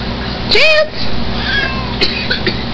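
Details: A single sharp, rising meow from Chance, a Siamese mix house cat, followed by faint softer sounds and background room noise.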